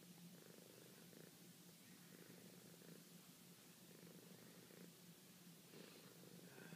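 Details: Sweet, soft purring from a pet cat: a continuous low vibrating hum that swells in rhythmic bursts about every second as she breathes, with light rustling in a quiet room.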